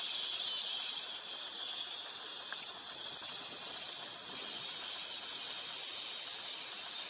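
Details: Dog-day cicada song: a dense, steady, high buzzing drone that holds for the whole stretch, loudest at the start and then easing slightly, with no other clear sounds.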